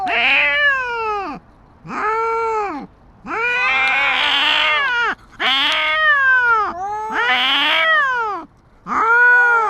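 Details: Two stray cats, a tabby squaring off with a white cat outdoors: a run of six harsh, wavering yowls, rising and falling, some strained and raspy, separated by brief gaps.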